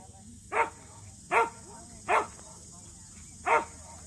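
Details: At a local match show where the Samoyeds Mozart and Zuko competed for the first time, four strong single barks come spaced about a second apart against a low steady drone.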